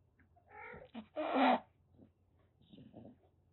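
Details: A rescued calico kitten, about one and a half months old, in Kagoshima, Japan, turning threatening indoors: a short harmonic mew, then a loud rough noisy burst like a hiss or spit, followed by softer low grumbles.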